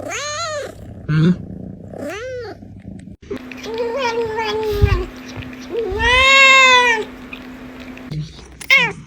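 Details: Domestic cats calling with a series of meows, short arched ones first, then a long drawn-out wavering meow and a loud rising-falling meow, with a steady low hum in the background.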